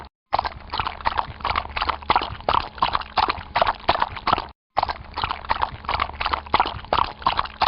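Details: Hooves of a horse moving through water, a quick uneven run of splashy thumps and watery slaps, cut once by a brief pause near the midpoint.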